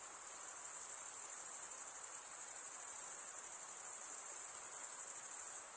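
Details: Male crickets stridulating in a constant shrill, high-pitched ringing trill that stays level from start to finish, finely textured with rapid pulses, over a low, quiet wash of background noise.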